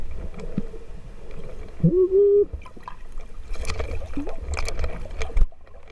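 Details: Humpback whale (Megaptera novaeangliae) off Amami Oshima, Kagoshima, Japan, a mother and calf met while snorkelling: a brief, low moan that bends upward over a rumbling underwater background.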